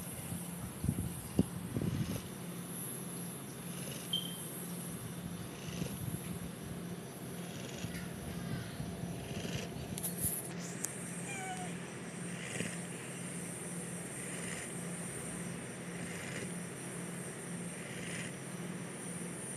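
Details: A big, fat dog asleep and dreaming, drooling as it snores; its moaning sounds were first mistaken for illness. Soft, low rasping breaths repeat roughly every two seconds under a steady background hum, with a brief higher rustle near the middle.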